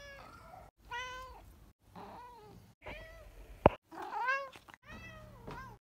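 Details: Rescued cat Grumpkin, now at home in Vienna, uttering a series of brief wavering meows with clear stacked harmonics, some bending upward, separated by short pauses; one sharp click midway.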